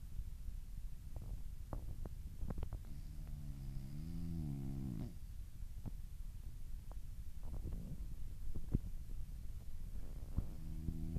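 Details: Sleeping, dreaming French Bulldog gives one rising-and-falling nasal snore in the middle, with scattered small clicks and shuffling around it and another snore starting at the end.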